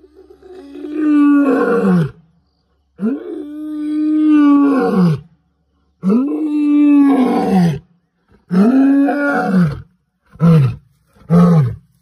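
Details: Angry lion roaring at a farm house: long, deep, moaning roars with a steady tone that drops at the end, about four drawn-out calls followed by two short grunting ones, with gaps of silence between them.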